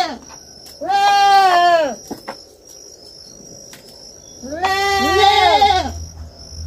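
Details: Farm kid goat with two drawn-out, nasal bleats about a second each, the second doubled by an overlapping voice, set against a continuous shrill insect drone and a low hum.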